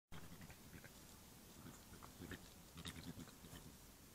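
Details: Three young European badgers play-fight outside their sett in Ireland, giving low, pig-like grunts and snuffles mixed with scuffling and occasional sharp clicks.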